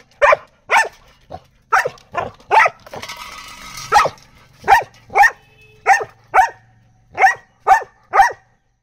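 A Labrador Retriever barks in a quick series of sharp, loud woofs, about two per second.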